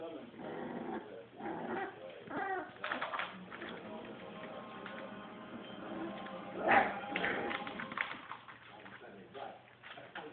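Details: Whimpering from a litter of puppies three weeks and six days old: thin, drawn-out tonal cries and brief squeaks that overlap, with human speech mixed in.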